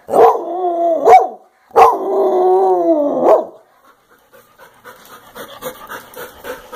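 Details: A velcro dog cries in two wavering, falling wails after a brief yelp. Quieter panting-like rustling and breathing noises follow in the second half.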